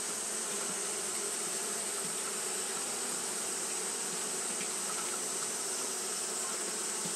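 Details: Japanese honey bees fanning continuously in the heat. Their droning hum stays even from start to finish, with faint brief buzzes from individual bees rising over the drone and a steady hiss above.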